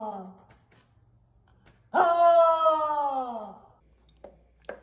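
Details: Dog making strange noises indoors: a single long, tonal moan that starts loud and slowly slides downward over about one and a half seconds, after a brief softer falling sound and followed by quiet clicks.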